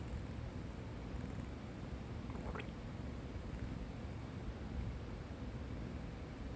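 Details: Sleeping tabby cat resting against a person's stomach and listening to its noises, giving a dense continuous low rumble of purring, with a brief faint higher squeak near the middle.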